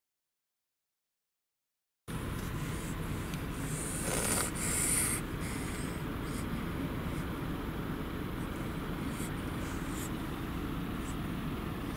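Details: Two seconds of silence, then constant vehicle interior rumble with faint ticking and a brief high hiss, with no animal voice.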